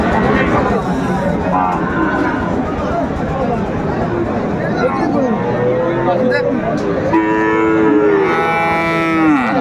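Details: Cattle at Raniganj cattle market, Bogura, Bangladesh, on 23 December 2024, where Sahiwal bulls are traded. Crowd chatter and talk fill the background. Late on, loud, drawn-out moos rise and then fall, overlapping one another.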